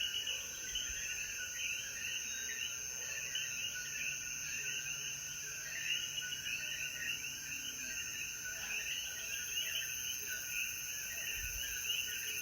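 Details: Chorus of coquíes in the Jayuya mountains of Puerto Rico at sunset after the rain. Many overlapping chirps merge into a continuous shimmering wall of sound over a constant high-pitched insect drone.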